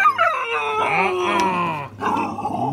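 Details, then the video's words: Siberian Husky, a female, talking back after being told to be quiet, answering with a sustained, wavering howl-like moan that bends in pitch, a short break, then continues. "Husky talking back"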